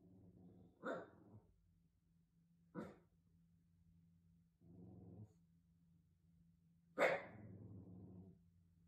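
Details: Half-asleep Shiba Inu guarding the house at night: three separate gruff woofs spaced a few seconds apart, with soft huffing breaths between and a steady low hum behind.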